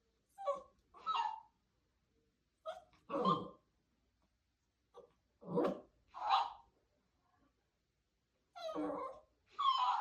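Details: Timid puppy barking at a moving doll in a small room: sharp barks in loose pairs, each a soft lead-in followed by a louder, rough bark, with short silences between the pairs.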